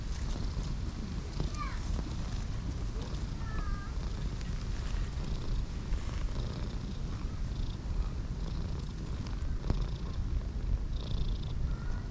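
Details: Two stray cats, a cream cat and an orange tabby, huddle together on a grass bed in a park to keep each other warm; a low, steady rumbling purr runs throughout, with a few brief bird chirps above.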